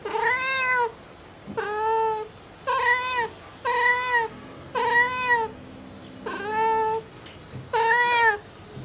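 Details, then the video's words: Domestic mother cat calling for her kittens in a run of seven evenly spaced, arched meows, about one per second, clear and harmonic-rich, with a faint low drone in between. "Mother cat calling for her kitten | Mom cat sound effect"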